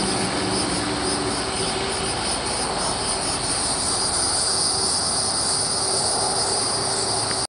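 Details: A hieroglyphic cicada (Neocicada hieroglyphica hieroglyphica) calls with a steady, high, buzzing drone that runs without a break.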